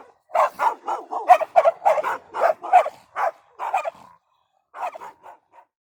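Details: Rapid dog barks, called نباح in Arabic: about nine quick, punchy woofs in the first four seconds. After a pause, three softer, shorter yaps close the sequence.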